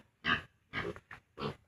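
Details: Piglets 32 days old, kept on a farm and soon to be separated from their mother sow, utter four loud, raspy grunts, one of them a brief clipped note between longer ones.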